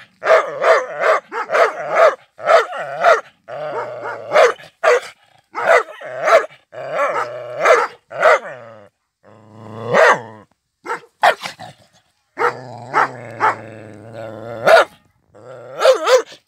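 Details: White Rottweiler barking angrily with growls: fast volleys of rough, deep barks, broken by longer rumbling growl-barks around ten and thirteen seconds, then more quick barking.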